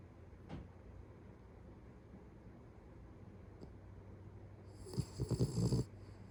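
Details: Pet Beagle asleep, its loud snoring said to grow until it rivals a middle-aged man's: mostly a hushed low hum, then a burst of several rapid, deep, rattling snorts close together near the end.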